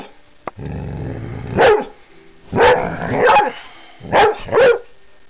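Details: Woofing Vizsla called Delilah: a low growling whine builds into sharp barks, first singly, then a quick pair near the end.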